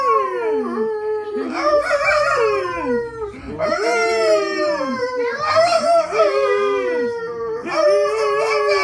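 A Golden Retriever howls in long, wavering, tonal notes that rise and fall, with brief breaks between.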